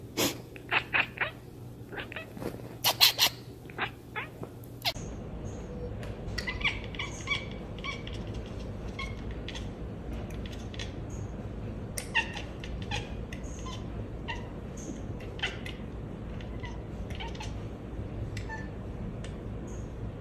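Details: Domestic cat chattering, from an October 2023 compilation: a fast burst of sharp staccato clicks over the first five seconds, then scattered softer clicking chirps over steady background hiss.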